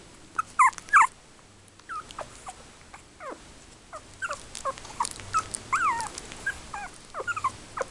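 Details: Three-week-old Yorkshire Terrier puppies, born in October 2014, squeaking and whimpering: many short, high squeals that rise and fall, in quick irregular bursts, with a few louder yelps near the start.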